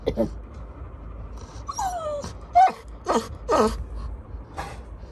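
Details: Little John, a Labrador Retriever puppy, crying as if scared of something: a few high whines, one sliding downward and a short squeaky note, between soft breathy sounds over steady room noise.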